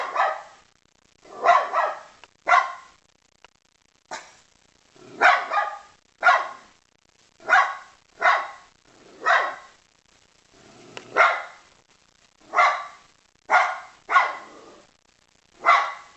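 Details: Rough, broad barks from a dog repeat steadily about once a second, deep and hoarse, with faint background noise between them.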